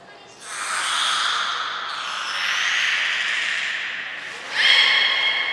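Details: At Port of Nagoya Public Aquarium, captive belugas Hodoi, Gray, Nana and Niko vocalize during training on 5 June 2021. A long, raspy, wavering call with broad overtones ends in a sudden louder burst of stacked tonal harmonics.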